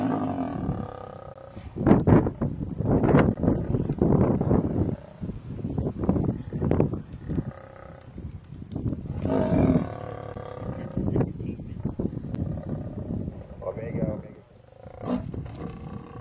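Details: Kruger lioness taking refuge up a tree from a buffalo herd while trying to help her cub; a long run of deep, grating roars and grunts in rapid bursts, mixed with bellowing animals below.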